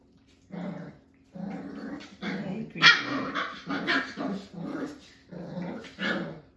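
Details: Jack-A-Bee litter at five weeks, Beagle crossed with Jack Russell, playing with cousin Ivory indoors: a run of pulsing play growls mixed with squeaky barks, roughly two a second.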